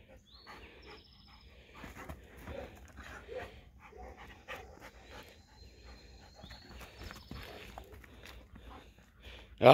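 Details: Spanish Mastiff puppy Blaze and American Akita pup Meka playing outdoors. Soft breathy panting bursts come in uneven runs. Thin bird whistles sound in the background, and a sharp loud knock comes at the very end.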